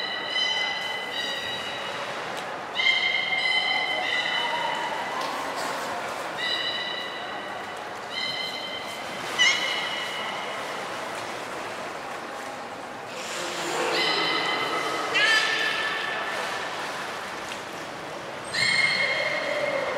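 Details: Beluga at Port of Nagoya Public Aquarium, 6 January 2019, during training for gastric fluid and blood sampling of Hodoi. Short harmonic squeals and whistles repeat every one to two seconds, mixed with indoor voices and reverberation.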